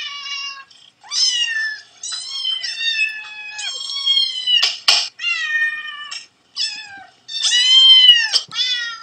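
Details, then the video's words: Played-back recording of cats and kittens meowing for a dog: dense overlapping high meows with rich harmonics, some rising then falling, one sharp click near the middle, calls in bursts with short gaps. "Cats and Kittens Meowing"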